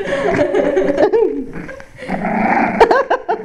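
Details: Six-week-old Cavalier King Charles Spaniel puppies from a German breeder, giving short rising and falling whines and yelps, several overlapping, with a quieter gap midway; people talking in the background.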